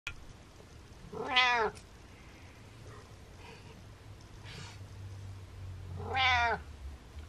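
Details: Domestic cat meowing indoors while bragging to its owner: two loud, drawn-out meows with rich harmonics, each about half a second long, spaced roughly five seconds apart, with a faint low hum in the room.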